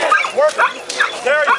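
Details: Working-line German Shepherd named Echo, a citizen K-9, demonstrating police procedure at the Woofstock doggie fair in Anthem, Las Vegas, Nevada; short, high yelping barks and whines come in quick bursts while a handler urges it on with praise.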